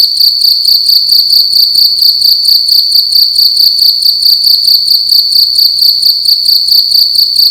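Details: Cricket chirping loudly indoors in a room at night: a steady, shrill high-pitched trill pulsing in rapid, evenly spaced chirps, roughly two per second, with no other clear sounds.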